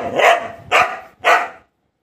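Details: Pet Golden Retriever barking three times in quick succession, each bark short and full-bodied, spaced about half a second apart, then silence.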